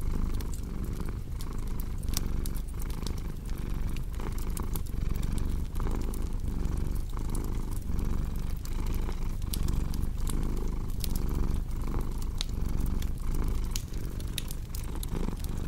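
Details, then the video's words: Domestic cat purring steadily, a low rumbling drone pulsing with each breath roughly every 0.7 seconds, mixed with the sharp pops and crackles of a wood fireplace throughout. "Purring Cat with Cozy Crackling Fireplace Sound"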